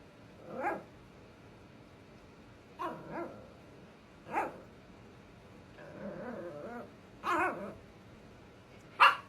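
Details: Scottish Terrier-Chihuahua mix puppy, five months old, coaxing her older sister to play with spaced, fairly soft barks every one to two seconds, a low rumbling growl in the middle, then two sharper barks at the end.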